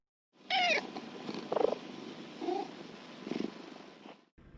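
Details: Domestic cat, one of two sister cats aged 14 and 10 (striped and black), screaming when separated for a vaccine antibody test vet visit in Korea, 2020: a sharp, harmonic-rich wail, then softer intermittent cries and rustling.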